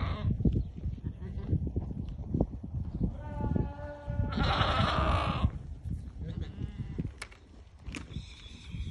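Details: Ten white Awarid goats, pregnant does kept with the buck, in Al-Summan; one loud, quavering, drawn-out bleat lasting about a second, with a fainter bleat before it, against constant low rumbling and knocking.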